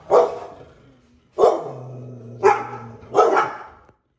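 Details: A black Labrador Retriever outdoors on a walk barks at a costumed figure spying on her: four loud, deep barks about one second apart, with a faint low hum between them.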